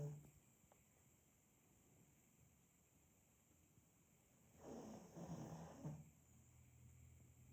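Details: Sleeping pug named Demid gives one long raspy snore lasting over a second, low and rough, after several seconds of quiet breathing in a small indoor room.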